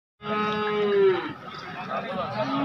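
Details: Bullock at the crowded Dharangaon bullock market on a Thursday, its opening day. It gives a drawn-out tonal bellow that slides downward, then fades under men bargaining over prices.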